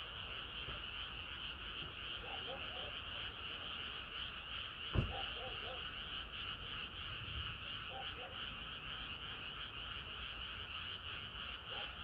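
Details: Chorus of many frogs on a hot summer night: a steady wall of high trilled croaking, short bursts of lower clucking notes, and one sharp knock about halfway through.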